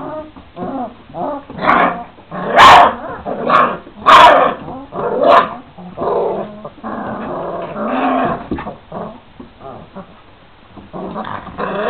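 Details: Young Šarplaninac pups, 26 days old, growl and yip during play, their loud squeaky barks coming in quick irregular bursts that fade into quieter grumbling toward the end.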